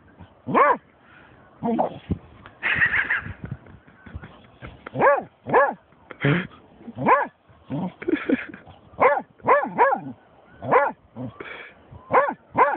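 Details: Barking from Snoop, a German Shorthaired Pointer that has come upon a dead seagull; a long run of arched barks and yips roughly every half second to second, with some speech mixed in.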